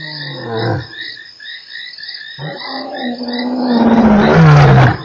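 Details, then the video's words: Lion at Nkorho on 3 March opening a roar: low, drawn-out moaning tones that slide and swell into a loud, rough bellow at the end, with insects and frogs trilling steadily behind. "lion roars"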